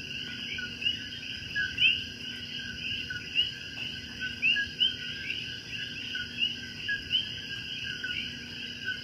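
Common coquis give short, upward-sweeping chirps over a dense, steady night chorus of frogs and insects.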